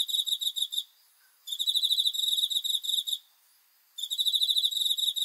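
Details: Night cricket giving long, shrill, rapidly pulsed trills separated by short gaps of under a second, loud and close over a quiet background.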